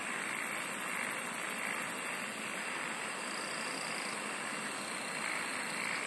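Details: Insects sing in a dense night-style chorus: steady high shimmering bands hold throughout, while a fast, very high pulsed trill rattles for the first two and a half seconds and then drops out.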